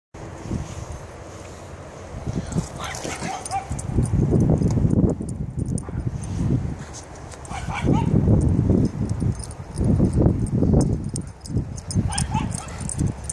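Several Shiba Inus bark and yip in overlapping bursts, with a few whimpering notes and some human voices.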